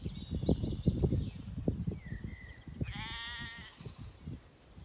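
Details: Zwartbles lambs on a regenerative farm in County Kilkenny, Ireland, a few days after weaning, spooked by barking dogs and flocking together: several wavering bleats, ending in one loud quavering bleat, over heavy hoof thuds and rustling.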